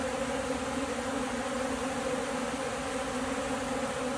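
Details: Honey bees at a beehive, said to be lacking food; steady droning hum of many bees with no breaks throughout.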